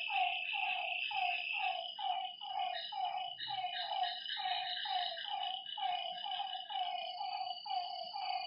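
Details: Frogs calling at night beside a lake: short downward-sliding croaks repeated about twice a second by several overlapping callers, over a steady high-pitched insect drone.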